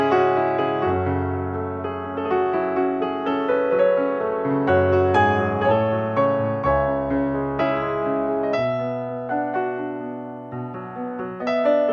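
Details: Gentle piano music plays throughout, with layered chords and melody and no animal voices.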